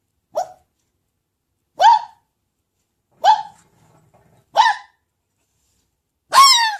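A red fox gives short, hoarse barks spaced roughly every one to two seconds.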